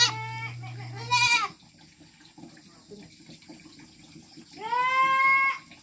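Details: Goats grazing at pasture in the Philippine countryside give two bleats, a quavering one at the start and a clear, drawn-out nasal one near the end, separated by a quiet stretch of faint rustling and a brief low drone.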